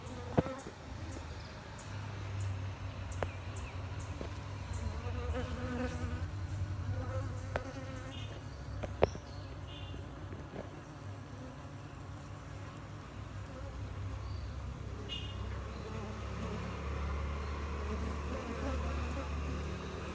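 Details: A colony of bees constructing a hive in a pot fixed to a tree to make honey; sustained low droning buzz with scattered sharp clicks and taps over the steady hum.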